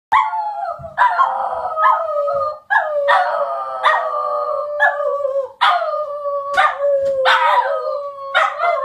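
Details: Pet Border Terriers howling together; long, wavering, mid-pitched howls overlap and are broken by short barks, with brief pauses between rounds.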